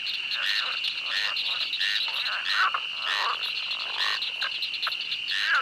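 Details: In a swamp, frogs give repeated short croaks, some with a bent, wavering pitch, about two per second, over a steady ringing insect chorus.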